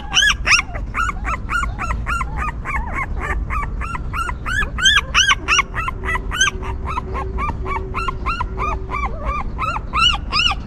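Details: Newborn puppies of a stray mother dog that cleans, feeds and comforts them: a rapid, overlapping chorus of high arched whimpers and yips, several per second, from multiple pups, with a low steady hum underneath.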